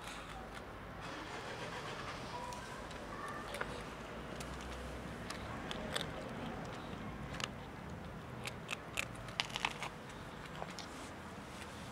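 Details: Outdoor street ambience with a low steady rumble, scattered clicks, scrapes and crackles, and faint distant voices; no clear animal call stands out.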